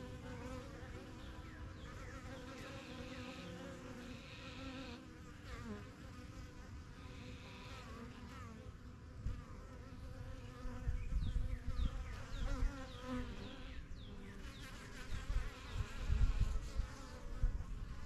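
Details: Honey bees flying in and out of a strong yellow hive in a backyard, a first-year colony started in spring 2023; a dense, steady droning hum with overlapping buzzes of many bees, louder passes swelling near the end.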